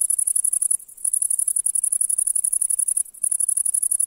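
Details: Grasshopper singing in meadow grass on a July day: a very high, rapid pulsed shrilling in quick chirp-like bursts, broken by two short pauses, with no other sounds.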